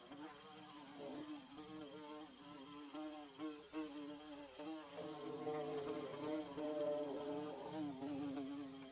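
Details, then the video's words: A wavering bee drone comes from insects building their nest, pulsing unevenly at first and then settling into a louder, fuller hum over a soft hiss. "Bee Buzzing"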